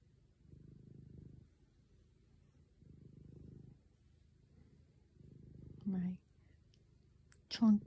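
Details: A chonky diabetic black cat purring loudly while lying on a couch beside its owner indoors; low rumbling purr in rhythmic breaths about every two and a half seconds, with a soft whispered voice and brief sharp sounds near the end.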